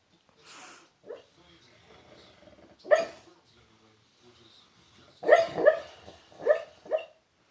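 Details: Dreaming dog snoring in its sleep and breaking into hiccups; a soft breathy hiss and scattered small sounds lead to a single loud hiccup, then a cluster of four strong, closely spaced hiccups.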